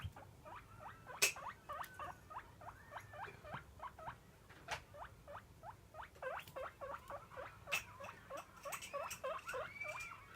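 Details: Pet guinea pig begging for food at daily feeding time: a rapid string of short, sharp, rising squeaks, several per second, with occasional clicks and rustling.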